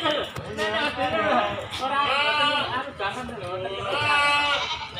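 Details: Market goats, does with kids, at Silir Semanggi livestock market in Solo, giving drawn-out, trembling bleats in two long stretches, mixed with continuous conversation from traders nearby.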